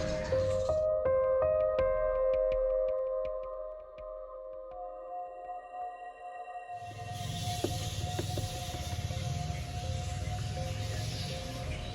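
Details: Steady droning music with plucked or struck notes fills the first half. Later a broad rumble and hiss take over, with no animal calls standing out.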